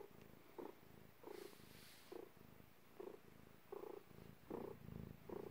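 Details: Purring of a domestic cat during birth, indoors; low rhythmic rumbles rising and falling with each breath, roughly every three-quarters of a second, over faint room hiss.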